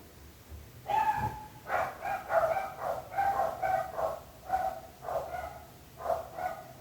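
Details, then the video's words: Continuous bout of dog barking, roughly eight rapid barks in under seven seconds, harsh and mid-pitched with strong overtones, coming in uneven bursts without pause, from a long recording of barking dogs. "26 minuts gossos lladrant / 26 minutes barking dogs."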